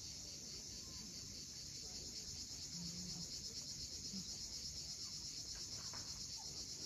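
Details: Cicadas calling at sunset on the steep coast of Cape Fiolent, Crimea: a dense, steady, shrill high buzz with a fine rapid pulse throughout, over a soft low rumble of waves.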